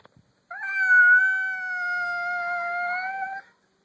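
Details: House cat, newly meeting another cat for the first time, gives one sustained, even-pitched yowl lasting about three seconds, slightly rising at the start and dipping at the end, in a quiet room.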